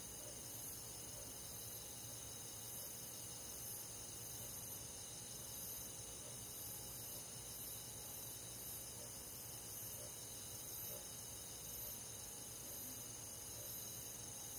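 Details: A steady summer-night chorus of crickets and other insects in a rural forest, high and shimmering, with faint pulsing trills layered over a continuous ringing drone.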